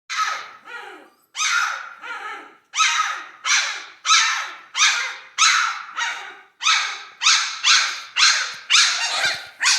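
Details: Central Asian Shepherd Dog puppies indoors, probably hungry, giving a run of short, harsh, noisy barks about every half second to second, some overlapping, with an uneven rhythm.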